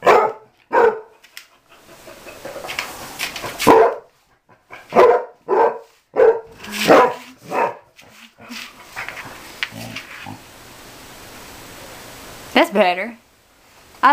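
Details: Mamie, an outside dog about six or seven years old being taught to come indoors, gives a burst of loud barks that thin out into scattered yips, followed by a quieter stretch and a short whining sound at the end.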